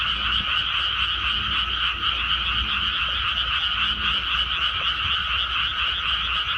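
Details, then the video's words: Frogs calling from a rice paddy just after rice transplanting: a dense, unbroken chorus of rapid pulsing croaks blending into a steady shimmering drone, with a faint low rumble underneath. "개구리 우는 소리"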